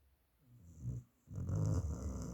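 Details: A dog snoring very loudly, with two deep rasping breaths: a softer rumble that swells and fades, a short silence, then a louder, longer, rattling snore.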